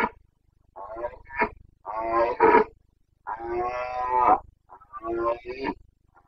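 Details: Rutting Carpathian red deer stag roaring in the Bucovina mountains, breeding season, 29 September 2022; a series of rough, harmonic bellows of varying length, some long and sustained, separated by brief pauses.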